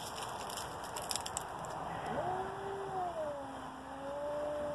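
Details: Two cats about to fight: a long, drawn-out yowl begins after two seconds, sweeping upward and then wavering in a slow, bending tone that lasts to the end, over a steady background hum.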